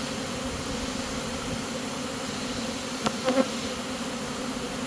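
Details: Swarming honey bees moving into a new home while being caught; a constant, even buzzing hum with layered tones, and a short cluster of knocks or clicks around three seconds in.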